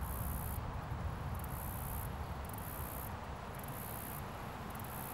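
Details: Up-close cricket on a leaf outdoors, producing sharp, very high trilled chirps in rapid bursts roughly every second, five bursts in a row against a faint low-pitched background drone.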